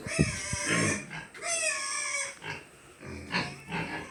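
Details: Pigs on a pig farm during cleaning, giving loud harmonic squeals, one long drawn-out squeal sliding slightly downward in the middle, with shorter squeals and grunts before and after; a faint room hum runs underneath.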